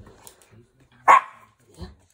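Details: Young Pomeranian puppy, born August 2021, playing with a small basketball, gives one sharp high yap at about one second, followed by a soft thud of play and quiet room sounds.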